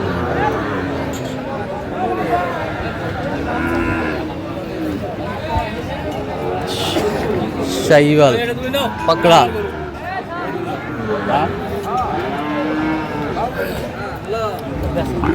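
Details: Sahiwal breed bull at a cattle market in Comilla, Bangladesh, 11 February 2025; deep drawn-out lowing from cattle amid busy crowd chatter and bargaining voices, louder bursts of calls near the middle.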